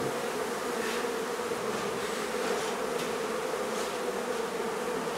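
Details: Dense, even droning of a honey bee colony during removal of its hive from a barn in La Feria, Texas, on a hot day as the bees struggle to cool the hive, with faint hissy noise over the hum.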